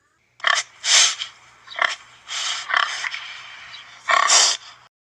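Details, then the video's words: Warthog, a wild pig with curved tusks, giving a series of harsh, breathy snorts and grunts, five noisy bursts spread over about four seconds with short pauses between them, against a faint low hum. "Did you hear that? A warthog's sounds include grunts, snorts, squeals, and growls."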